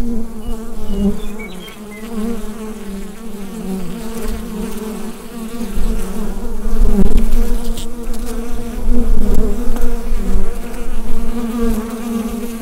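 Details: Inside a beehive, many bees produce a thick, continuous buzz picked up by a Rode NT-USB microphone, low and steady with a brighter overtone band, growing louder in the second half with small crackles.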